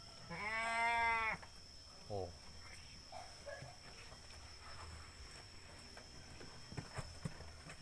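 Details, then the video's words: Sacrificial billy goat bleats one long, steady, harmonic-rich cry of about a second, followed by a short second bleat; men talk quietly in the background. "kambing bandot Qurban super"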